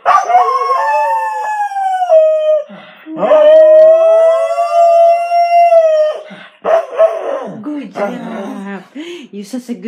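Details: A Corgi sings along with its owner, howling in long, wavering, tuneful notes, followed by a person's cheerful praise.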